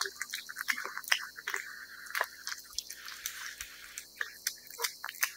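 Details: Cat eating wet food: dense wet chewing and smacking, with sharp clicks and squishy bites scattered over a few seconds, loud and close in a quiet indoor space.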